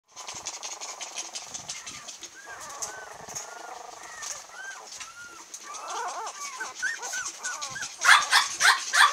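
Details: Female long-haired Miniature Dachshund puppy, cream coloured, 22 days old, in Kochi, Japan, on July 22. Thin, high whimpers arch up and down, growing busier and ending in louder, harsher squeals.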